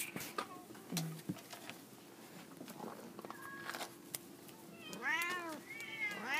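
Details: F2 jungle cat hybrids, two cats together on a jungle gym, one giving a pair of drawn-out, arching meows near the end after a stretch of scattered clicks, taps and low room noise.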